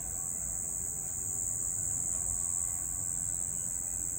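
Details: Nighttime cricket giving an unbroken high-pitched buzzing trill at constant pitch and loudness, with a soft low rumble beneath.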